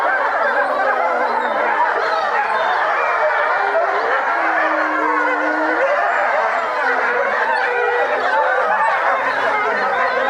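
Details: Pack of European wolves at Tama Zoological Park, Japan, in a dense overlapping chorus; blended wavering howls and yips form a steady wall of sound, with one lower drawn-out howl standing out midway.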